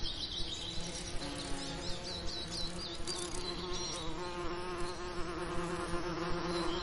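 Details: Summer lavender patch alive with bees, their continuous low buzz holding a strong steady pitch while bird twitters flick in quick high notes over the drone.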